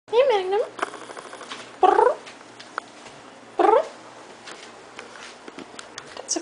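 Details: Long-haired Siamese/Snowshoe mix cat, a neutered male described as a talker, meowing indoors: a short wavering meow followed by two rising-falling meows about two seconds apart, with a person speaking Dutch in the background.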